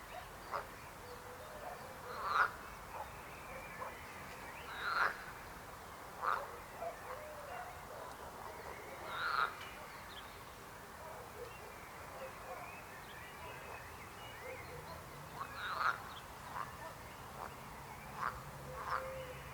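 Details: Frogs croaking outdoors, loud broad croaks standing out every two to three seconds over a constant chorus of other frogs and faint background calls.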